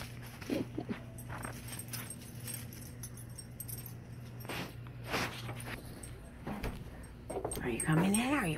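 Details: Alaskan Malamute Tonka reacting to a Bigfoot recording: after scattered thumps and knocks over a steady low hum, a rising, wavering, harmonic whine-howl swells in the last second, its pitch climbing and zigzagging.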